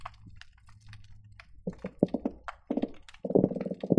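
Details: Croakers recorded by hydrophone at the Marina Drive bridge between Long Beach and Seal Beach produce rapid, low knocking pulses in grunting bursts on a busy day underwater; garibaldi possibly also present.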